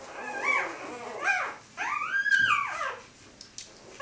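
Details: Four-day-old Siberian Husky puppies, born 3 April 2015 in Kharkiv, Ukraine, whimper while eating: several high, arching squeals that rise and fall, some overlapping, the longest near the middle, with small indoor rustles.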